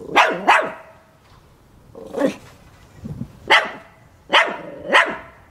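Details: Zoe the Chihuahua, a small male dog who dislikes lawnmower noise, barks enthusiastically. Shrill yaps come in quick doubles with short pauses, and a softer grumbling bark sits in between.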